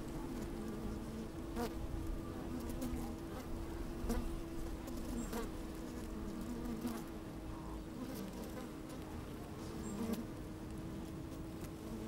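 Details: Inside an open beehive on a fine sunny day, bees moving about and occasionally buzzing; an even, dense hum holds a constant pitch throughout, broken by brief clicks and scrapes from the microphone among the comb.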